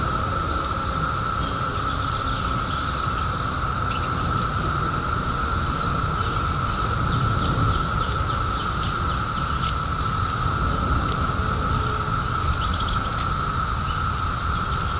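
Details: A constant cicada drone from the 2021 emergence, after 17 years hidden, holds one mid pitch throughout, with sparse high clicks and bird chirps and a low rumbling background.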